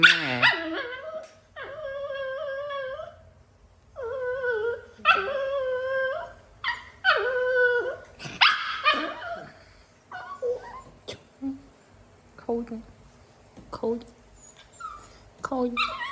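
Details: Naughty pet dog at play with the family's mother, giving a run of whines, yelps and short growly barks, some drawn out and wavering, others clipped, with brief gaps between, fading to softer whimpers.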